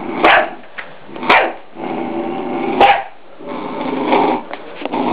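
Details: Scottish Terrier pup of three months barks at a deer skull to protect its owners, three sharp barks mixed with drawn-out throaty growls.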